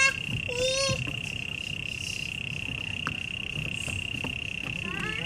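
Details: A cricket's unbroken high trill at Taipei Botanical Garden, Taiwan, runs steadily beneath brief bird chirps and whistles, with low traffic rumble in the background.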